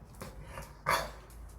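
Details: A pet dog, said to be sulking after finally coming home from Gageodo island, gives one short, sharp vocal burst, with quiet room sounds and soft talk from a person nearby.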